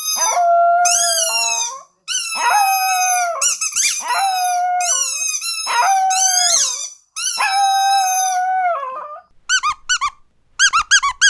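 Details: Pet dog howling at home, long drawn-out rich harmonic wails with wavering, slightly falling pitch, about five howls separated by short gaps, followed by a few quick high rising yelps at the end.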